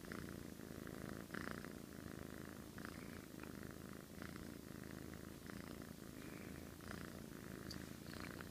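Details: House cat asleep and snoring like a middle-aged man: a rough, low, rumbling snore with regular breathy rasps about once per second, recorded at close range in a quiet room.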